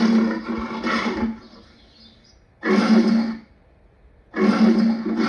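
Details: Lion roaring in three loud, harsh bursts, each about a second long and separated by short pauses, with a broad rasping tone and a strong low core.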